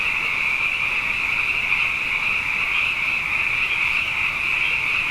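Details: Nighttime frog chorus following two wet years in a row: many frogs trilling at once in a bright, high, continuous band of sound that holds level and unbroken.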